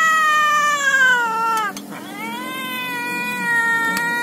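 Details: Domestic cat from a compilation of different cats giving angry, happy and hungry meows: one loud, sustained, steady-pitched meow that dips briefly in the middle and then carries on strongly to the end.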